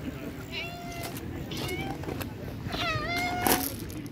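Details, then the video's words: Stray street cats being fed, several clear meows with rising-falling harmonic tones around 0.5, 1.5 and 3 seconds, over a low background rumble and a brief spoken word. "Feeding Sweet Cats | Breed Stray Cats"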